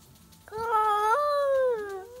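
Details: Two stray tabby cats at midnight defending a backyard territory: a long, loud, wavering caterwaul with rich overtones, holding steady then sliding slowly lower, with a short rising note from the second cat near the end.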